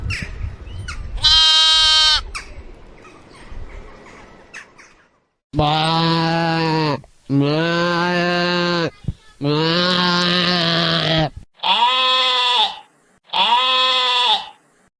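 A lamb bleats repeatedly, calling for its mother with wavering, nasal cries.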